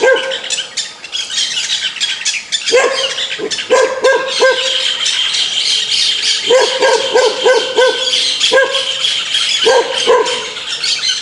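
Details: Angry dog barking in quick clusters of two to four sharp barks, with pauses between bursts, over a loud hiss of background noise and faint chirping.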